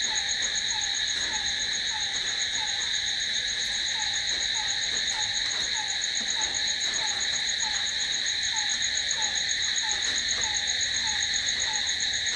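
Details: Night chorus of crickets: a continuous shrill high trill that never breaks, accompanied by a quieter, lower chirp repeated a few times each second.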